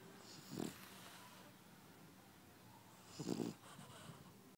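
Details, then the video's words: A French Bulldog breathes in its sleep, giving two short, soft snorting snores about two and a half seconds apart over a quiet background. "French bulldogs snore!!"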